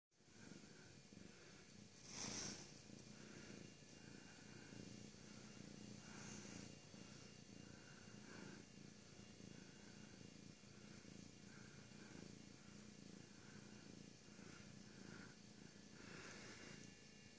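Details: Siamese cat purring: a steady, low, continuous rumble throughout, with faint rhythmic higher pulses and a brief louder sound about two seconds in.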